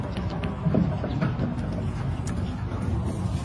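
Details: Steady low rumbling like a running vehicle, with faint scattered clicks and no animal call heard.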